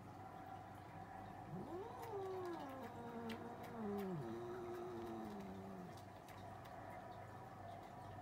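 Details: Cats arguing: a drawn-out yowl sweeps upward, then wavers and sags in a long, moaning caterwaul lasting about four seconds, over a steady low hum and faint background noise.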